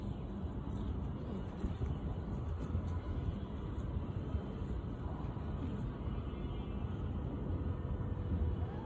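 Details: ['Steady low engine-like rumble with faint music and voices throughout; no animal sound.']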